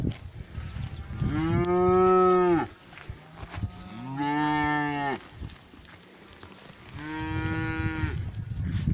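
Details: Cows in a pasture giving three long, loud moos, each about a second or more, spaced with short pauses, the last slightly rising; low rumbling background.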